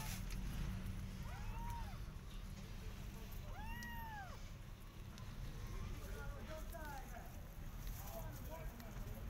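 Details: Persian cat with her adopted kittens walking in a garden and watching rabbits; two arched meows, rising then falling, the second longer and stronger, over constant low rumbling outdoor noise.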